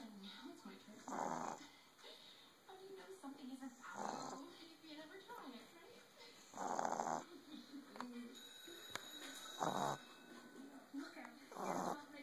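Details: An 11-week-old male Boston Terrier puppy snores in his sleep with rough, raspy, breathy bursts under a second long, about every three seconds, as soft voices murmur faintly in the background.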